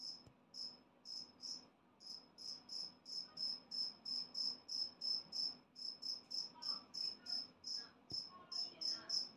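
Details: Two-spotted cricket, a freshly moulted adult and very loud, chirping steadily. Short, ringing, high-pitched pulses follow one another about three per second with few gaps. A faint low room hum sits beneath.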